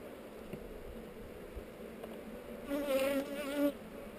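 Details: Honey bee flying close to a GoPro during a hive inspection on heather: a loud, wavering buzz passes by for about a second over the quieter steady hum of the colony.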